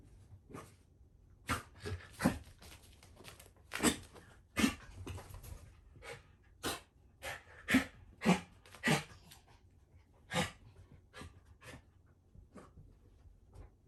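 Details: Indoors, Shiba Inu Ranmaru catches the scent of an older sister under a blanket after three months apart and runs around happily; sharp sniffs and snorting puffs, single and in clusters, separated by quiet gaps.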